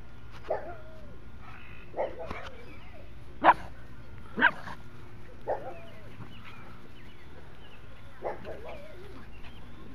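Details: Silver pug giving a loose series of short, high yips and whimpers with bending, slightly whiny pitch, roughly one per second, the loudest near the middle, over a steady low indoor hum.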